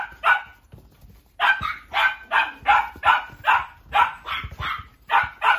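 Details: Miniature Dachshund in a pet shop giving a quick series of sharp, high-pitched yaps, roughly two or three per second after a short pause, clear and dominant.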